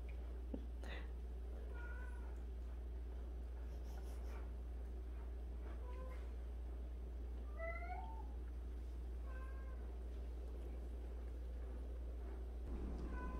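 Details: Cats from a household of 76 street and abandoned cats give a string of soft, rising meows scattered across the recording, some doubled, over a steady low hum.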